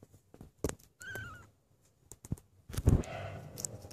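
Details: Stray cat, filmed January 2016, makes one brief wavering meow between sharp knocks and rustling clatter, with a louder burst of shuffling noise near the end.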